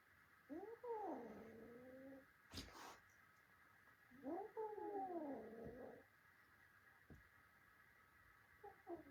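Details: Two long wavering yowls from cats in a fight between a little cat and his adult brothers, each rising then sagging, with a loud thump between them and a brief cry at the end.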